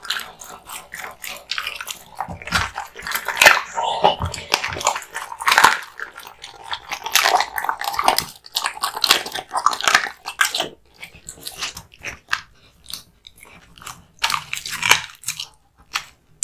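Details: American Bully named Kotetsu, a male born 8 August 2016, eating hung raw meat and bones: wet biting, tearing and crunching bursts come in irregular clusters, with pauses of near silence between chewing bouts.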